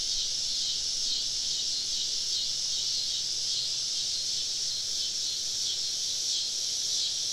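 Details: A woodland cicada chorus on a southern summer evening, heard while camping among the insects; a constant, loud, shrill hiss with only slight wavering over several seconds.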